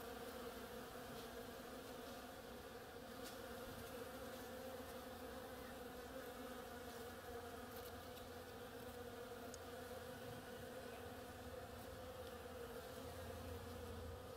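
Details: Constant buzzing of bees at work among oriental creeper flowers: a smooth, level drone with a clear higher overtone and a faint low rumble beneath it. A few soft clicks break in now and then.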